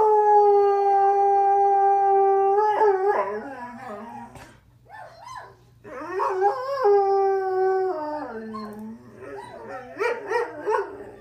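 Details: Pet greyhound named Kramer howling in response to other howling dogs played back: long sustained tonal howls with rich harmonics, steady then wavering and falling, broken by short yips and a brief pause midway, rising again near the end.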